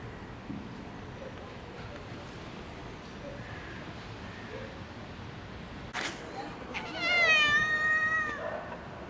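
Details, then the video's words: Cat living in a park calls toward a balcony, begging for food. A sharp knock is followed by one loud, sustained, slightly wavering meow near the end, heard over a constant low outdoor hum. "The cat meows towards this balcony every day and wants the sausage rain to start."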